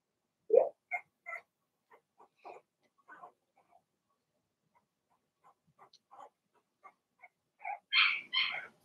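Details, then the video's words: Cavalier King Charles Spaniel puppies in an indoor puppy pen, six Blenheim pups of one litter, making many soft squeaky yips and whimpers, then two louder, higher barking yelps at the end. "Cavalier Puppies Bark, Howl"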